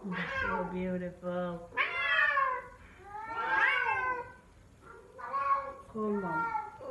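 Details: A male silver F4 Savannah cat gives a series of loud, drawn-out yowling meows that rise and fall in pitch, calling like a lion.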